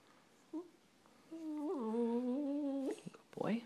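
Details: Brando, a pet dog, vocalizing indoors the way he does when he loves something: a single tonal, humming moan that jumps up, then holds a steady, slightly wavering pitch for about a second and a half, followed by a brief human voice.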